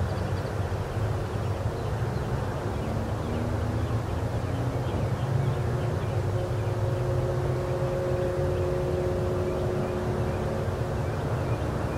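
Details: A steady low engine drone, like a vehicle or aircraft, fills the recording, with a faint hum rising midway and no animal voices.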